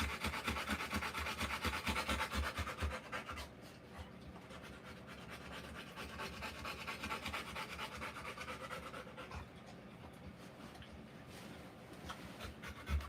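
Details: Labouring Rottweiler female panting while whelping puppies; strong fast pants for the first few seconds, then quieter, more regular breathing, with rubbing sounds.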